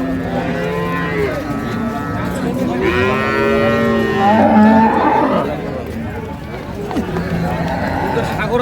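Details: Dairy cows of an improved breed with calves at Ambari haat cattle market, 2/3/25; a long harmonic moo rises over a busy market din, with other lowing animals and crowd noise around it.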